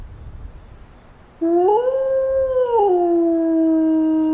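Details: Single grey wolf howl played back through an amplifier and horn during summer wolf-howling surveys meant to draw replies from packs. After quiet, a clear howl swells and holds, drops a step midway, then continues level and pure.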